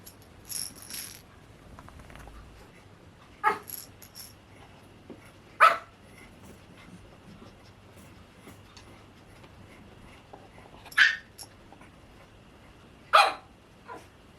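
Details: White and cream Pomeranian puppies at a breeder give short, sharp barks, scattered irregularly and roughly two seconds apart at most, with quiet room sounds and a faint steady hum between the barks.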